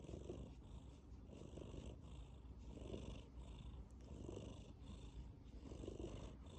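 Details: Tabby cat snoring in its sleep while purring, a deep rumble that swells with each breath, breaths roughly every one and a half seconds and alternating with airy hissing pulses.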